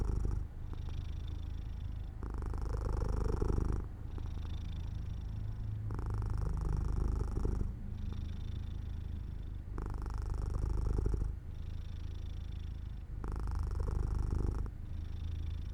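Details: Sleepy domestic cat near an open, sunny window purring continuously; low vibrating rumble pulsing between stronger and softer phases roughly every two seconds, about eight breath cycles in all.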